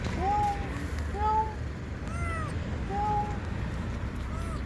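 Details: Tiny lost kitten, palm-sized, crying from under a parked car before being rescued: thin, high meows about once a second, each slightly rising then falling, with a person's soft voice nearby.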